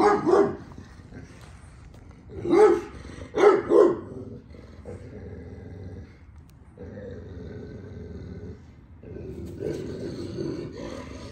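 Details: A male puppy with its father dog; a few short barks near the start, a quick double bark around three to four seconds, then quieter stretches with low background noise and a final burst of sound.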